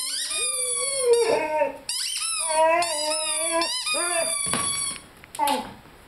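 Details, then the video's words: Rhodesian Ridgeback puppy aged five months howling along with a squeaky chicken toy, long wavering moaning notes with bright overtones, broken by short gaps, a final brief rising yelp at the end. "Rhodesian Ridgeback Howling with squeaky toy."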